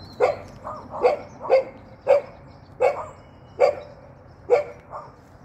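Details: Hopping Golden Retriever barking in a steady run, about eight punchy yaps in five seconds, some paired with a softer echoing yip right after.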